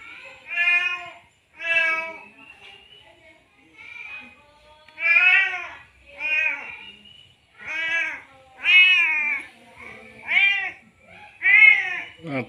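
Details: Male domestic cat in heat, having just mated, calling for a female: a series of drawn-out, harmonic meows repeated roughly every one to two seconds, some rising then falling, with brief quiet gaps between.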